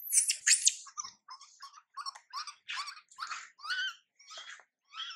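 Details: Young monkey MILA, neglected by her mother MILIKA, gives shrill squealing cries that become rough, buzzy, broken squeaks repeated roughly twice a second.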